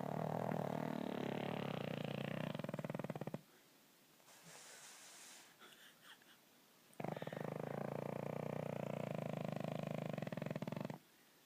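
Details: Scooter the pug snores as on every night: two long, harsh, vibrating snores of about three seconds each, separated by a quiet pause with faint rustling.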